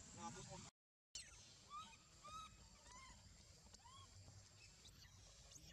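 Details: Baby monkey left alone without anyone caring for it, crying: a series of short arched, whistled cries that rise then fall, about five within a few seconds, after a brief low murmur, over steady low background rumble.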